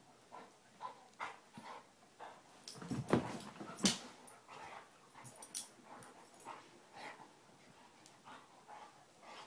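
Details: Basset Hounds Tracker and puppy Ranger playing rough: irregular yips and gruff bursts roughly every second, with two louder sharp outbursts near the middle amid scuffling.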